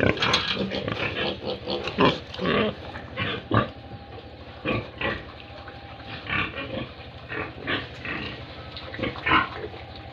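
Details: Grunting from a group of pigs and piglets on a Tripura pig farm, harsh broadband snorts coming in uneven runs, denser and louder at the start, then spacing out with short pauses.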